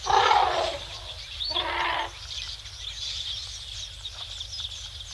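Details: At Tembe Elephant Park on 3 October 2025, midday, an excited elephant gives two rough, blaring bursts less than a second apart, then quiet, while birds chirp continuously in the background.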